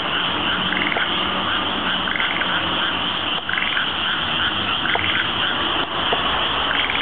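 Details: Frogs calling outside an apartment in Sanda, Japan, at night: a dense, continuous chorus of rasping croaks blending into a steady wall of sound, with fainter repeated calls rising from it every second or so.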